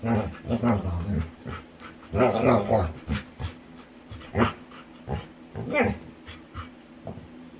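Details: Female Labrador retriever, a pet, playing with her owner indoors; low grumbling, growly vocal bursts in uneven runs, with a person talking and laughing over them.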